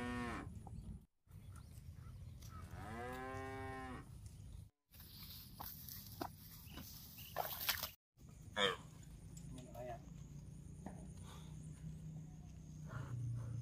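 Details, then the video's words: Cattle grazing on fresh grass in a park: a single drawn-out low moo stands out among short broken stretches of rustling, low rumbling and brief sharp knocks. "Suara Sapi Lembu Makan Rumput"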